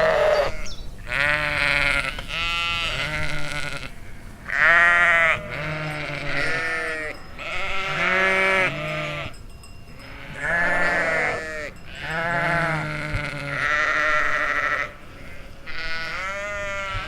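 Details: Domestic sheep in a field in the Chiltern Hills, recorded in summer 2025; overlapping wavering bleats from several animals, some low and throaty, others higher and harsher, coming in bursts of one to two seconds with brief pauses.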